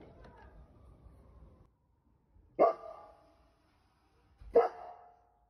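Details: A 1-year-5-month-old, 42 kg Golden Retriever in Sapporo, Hokkaido, who only recently learned to howl, gives two short, bark-like howls about two seconds apart.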